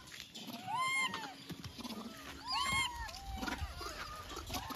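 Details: A baby Indian monkey gives high, squeaky, arching chirps in short bursts, with soft background noise.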